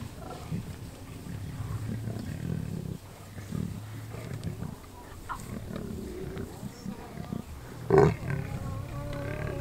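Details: Lions bringing down a wildebeest around Kruger National Park, South Africa, seen from a safari vehicle; steady low growling throughout, then a sudden harsh snarl with a higher, strained cry just before the end.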